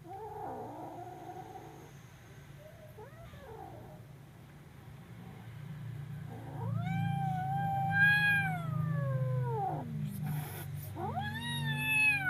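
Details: Kitten crying out in fear: a faint wavering mew at first, then long drawn-out harmonic yowls that rise, hold and sag downward, one after another, over a steady low rumbling hum.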